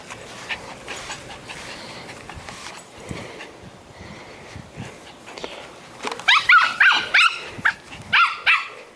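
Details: Pet poodle playing tetherball: a quick run of sharp, high, yappy barks packed into the last three seconds, after a stretch of softer scuffling and low background noise.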